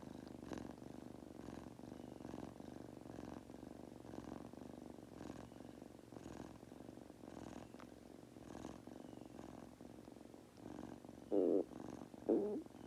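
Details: Falling-asleep purr of Goku, a young Munchkin cat: soft even rumble with faint rhythmic breaths near once a second, then two short louder noises near the end.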